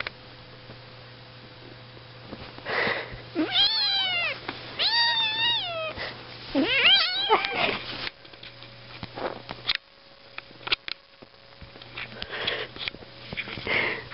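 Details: Several sweet kittens mewing indoors: a run of high, wavering meows with rising and falling pitch, clustered between about three and eight seconds, then softer scattered squeaks and rustling, with a faint steady hum underneath.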